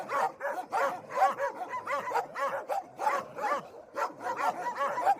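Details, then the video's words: Dog barking and yipping nonstop: dense overlapping bursts of high, rough barks and yelps, about two or three a second, with no pauses between them. "Dog barking Loud and Howling"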